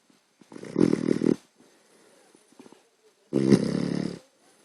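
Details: Sleeping puppy snoring: two loud, rough, broadband snore bursts of about a second each, roughly two and a half seconds apart, with quiet breathing noises between and a person muttering afterwards.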